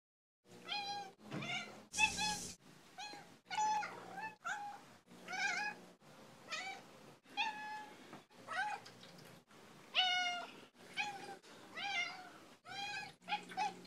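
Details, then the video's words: Domestic cat, female, giving assorted meows: a rapid series of about fifteen short, harmonic-rich mews, some rising and some falling, each under a second, with brief quiet gaps and one harsher, noisier call near the start. "Skeeter Meowy Montage"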